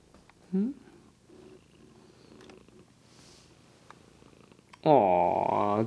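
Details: Domestic cat purring indoors while sleepy, filmed on a Lumix GH2 camera; a soft, steady low rumble pulses through the middle, framed by a woman's loud cooing voice at the start and end.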